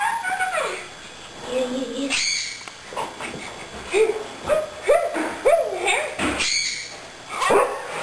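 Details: Poodle sparring playfully with a girl, giving short high whining yips and rising squeaky vocal bursts, several in quick succession, mixed with the girl's voice and scuffling movement sounds.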